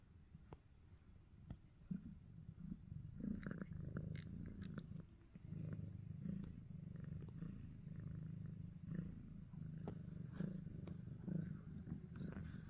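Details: Domestic cat purring steadily, a low rumbling buzz with soft rhythmic pulses roughly every one to two seconds as breaths alternate, plus faint clicks and light handling noise.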